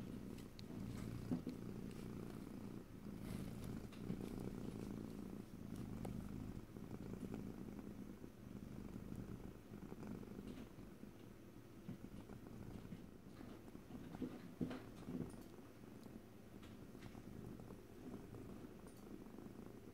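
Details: Long stretch of domestic cat purring in stereo, no talking. A continuous low grainy rumble swells and softens with breathing, punctuated by scattered small clicks and taps, and fades slightly toward the end.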